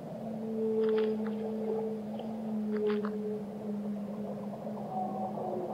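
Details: Whale singing a steady, low droning moan held for several seconds, with a higher tone layered above it and short clicky bursts near the start. A high whistle comes near the end over a continuous underwater rumble.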